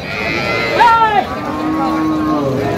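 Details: Cattle at the Ambari livestock market on 24 October 2025, where cows and calves are for sale; a drawn-out harmonic moo swells in the middle, followed by a long low steady lowing, with men talking nearby.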